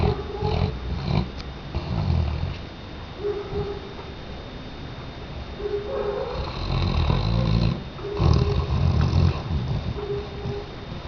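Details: Tchesco, a Weimaraner dog, snoring: rough, low rumbling breaths in bursts every couple of seconds, some carrying a faint nasal whistling tone, with a louder, raspier stretch of snorts midway.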